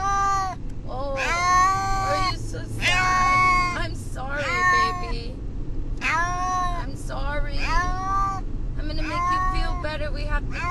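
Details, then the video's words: A distressed domestic cat named Brutus the Beefcake, on the way to the vet, repeats loud, strained, speech-like meows, some rising and falling, roughly six calls in ten seconds, with low vehicle rumble throughout. "Brutus the Beefcake....the talking cat!"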